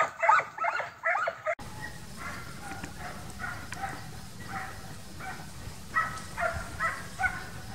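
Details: Young Transylvanian Hounds during wild boar hunting training in midsummer. A short burst of close, loud barking opens, then distant hounds bark in irregular, clustered yelps over a steady low rumble.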